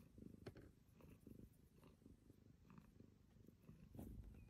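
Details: Domestic cat purring, apparently in a new bed, with a low rumbling, pulsed throb that rises and falls steadily over a few seconds; a few faint clicks and rustles in the background.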